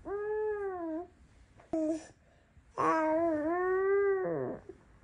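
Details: Norwegian Forest Cat, a cat that stays quietly near its owner, giving two long, drawn-out meows, the first steady and the second rising then falling, with a short soft sound between them.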